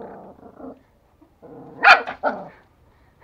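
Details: Two toy Pomeranian puppies, male and female, in Kathmandu, Nepal, chewing a real bone for the first time and fighting over the meat: low rumbling growls, then a sharp loud bark and a snarl, then quiet.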